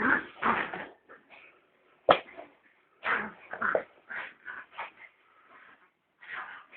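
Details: Puppies play fighting, one of them especially noisy: clipped, high-pitched yips and whimpering squeals in quick, uneven bursts, with brief silent gaps between scuffles.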